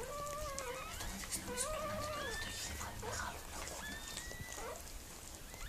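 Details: Giving birth to puppies, the Miniature Pinscher Mirella produces a run of wavering whines that rise and fall in pitch, fading toward the end, with a few thin higher squeaks.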